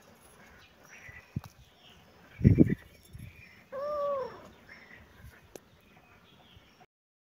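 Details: Cat making a brief arched meow that rises and falls in about half a second, after a burst of low thumping knocks, with faint scattered noises around it.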